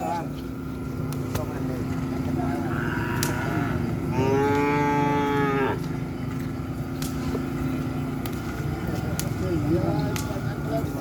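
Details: Cattle during measuring of bulls to set the racing class for bull races: one loud harmonic moo rises and holds from about 4 to 6 seconds, fainter lows before and after, over steady engine-like hum and chatter.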